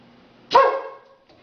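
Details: A single short bark from a well-trained female Labrador Retriever indoors, given while fetching a beer from the fridge for her owner; one sharp burst that fades within half a second, with a faint click afterwards.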